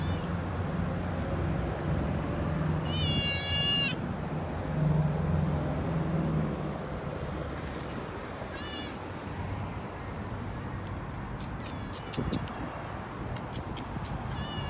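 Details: Street kitten with her mother: one long, loud, wavering meow, then a brief meow several seconds later and faint short meows near the end, all over a constant low rumble like distant traffic.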